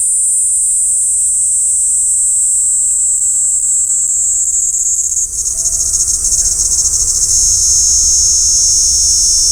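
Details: Kaempfer cicada singing, recorded with a parabolic microphone: a continuous, intense high-pitched shrill buzz that slides slightly lower in pitch after a brief dip midway.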